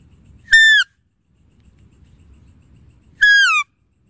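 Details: Two sharp, high-pitched deer calls, each a short whistled note sliding down in pitch with bright overtones, about two and a half seconds apart over faint low background rumble.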